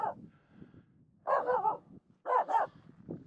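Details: Finnish Spitz Aamu barks at two reindeer approaching across a snow pack on Mulen: one bark, a pause, then a quick double bark, with faint low rustling between.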